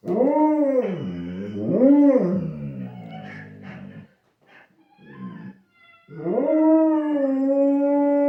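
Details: A Labrador Retriever watching other dogs on TV howls like a wolf: drawn-out, harmonic-rich howls arching up and down twice, softer broken whines, then a long, steady, slightly rising final howl.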